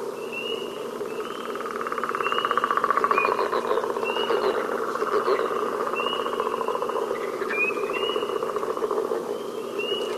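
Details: A Northern Leopard Frog from Rhode Island calls with a steady, low, rapidly pulsed snore, like a purr or a slowly creaking door, with thin whistled bird notes repeating about every second and a half behind it.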